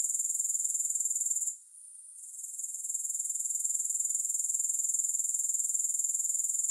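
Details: Continuous shrill grasshopper sound free of music, a high, evenly pulsing trill at about four beats a second. It briefly drops out early on, then gradually returns to a steady level.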